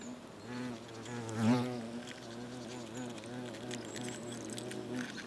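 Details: Nest of European hornets (Vespa crabro) in South Moravia, Czechia, in August, where workers pass food to one another; continuous low humming from several hornets, a brief louder buzz swelling near one and a half seconds, light clicking.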